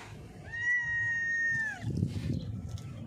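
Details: Cat with a blind left eye, hidden under a mixer truck after being called; one long, steady, drawn-out meow of over a second that drops at the end, followed by low rumbling noise.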